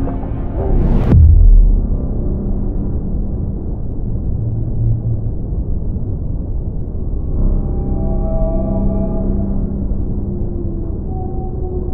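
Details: Deep, droning ambient music with a low rumble and a soft thump near the start; no animal voice is heard. Sustained tones swell later, but they belong to the music rather than any creature.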